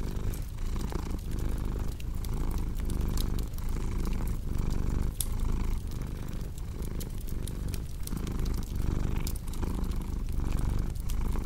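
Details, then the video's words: Cat purring continuously, a deep vibrating rumble rising and falling in roughly one-second breath cycles, with crackling fireplace pops scattered over it throughout. "Purring Cat with Cozy Crackling Fireplace Sound"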